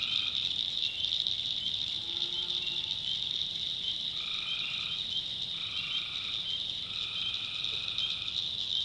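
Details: At night in a North Carolina backwoods swamp, tree frogs give repeated buzzy trills, each roughly half a second to a second long, over a continuous ringing high chorus.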